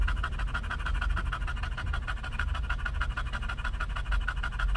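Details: English bulldog headed for a pup cup at a Starbucks drive-thru in California, panting steadily. Quick, regular huffing breaths repeat several times a second against a low rumbling background.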